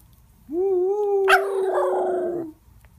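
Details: Female Miniature Schnauzer howling together with her brother: one long, steady, mid-pitched howl lasting about two seconds, joined partway by a second, rougher and louder voice. Both voices fade out together, with a quiet background.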